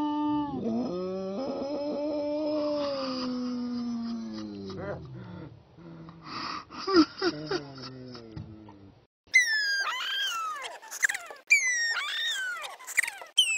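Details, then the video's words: Pet dog making moo-like sounds indoors: drawn-out, gently falling low moans with wobbling pitch for about nine seconds, followed by shorter, higher, sharply falling whiny yelps. "Did my dog moo?"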